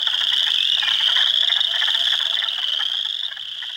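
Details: Hundreds of spring frogs, Spring Peepers, Wood Frogs and Eastern Chorus Frogs, in a swamp at Heartland Forest, Ontario, April 2, 2022; piercing high peeps over rapid clacking croaks, roughly four per second, fading slightly near the end.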